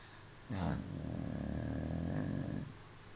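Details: Smudge the dog snoring: one long, low, rumbling snore of about two seconds with a steady buzzy growl underneath, rising from and fading back into a quiet indoor hush.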